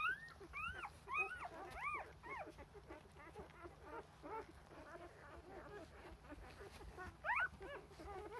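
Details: Rough Collie puppies, four days old, crying for milk as the mother tends to their rear ends; loud rising-falling squeaks at the start, then a steady stream of softer short whines, with one more loud squeal near the end.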